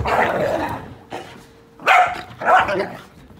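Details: Short exchange of whippet barks: one drawn-out noisy bark, a faint yip, then two sharp barks in quick succession, over a faint steady hum.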